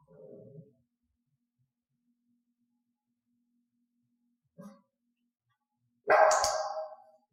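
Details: Domestic dog named Elaine during clicker training to bark on a cue: after near silence and a faint low sound, a single sharp, loud bark bursts out near the end and fades quickly.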